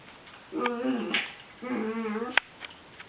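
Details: Chiweenie named Molly, a very vocal pet dog, playing indoors with another dog, Lulu; two drawn-out, moaning grumbles, each about half a second, with wavering harmonics, followed by a sharp click.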